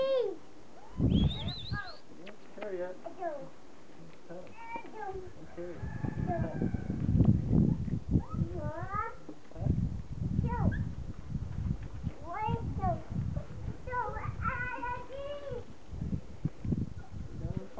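Standard Poodle puppies give high, sliding whines and squeaky yips over rumbling outdoor noise.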